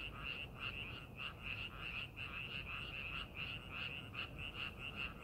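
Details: Croaking frogs in rice paddies during farming preparation, loud bursts of clustered calls repeating in quick pulses, several frogs overlapping, over a faint low rumble.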